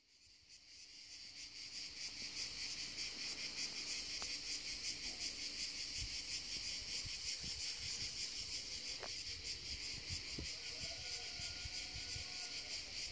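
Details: In summer on the hills, a cicada on a tree keeps up a harsh, shrill, high-pitched buzzing song, steady and intense, pulsing nearly three times per second, with faint low rustles beneath.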